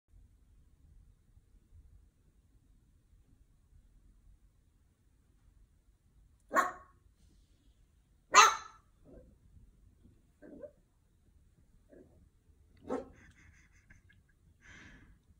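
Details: A Pembroke Welsh Corgi puppy gives a few sharp, explosive barks separated by quiet pauses while barking at his own reflection in a window.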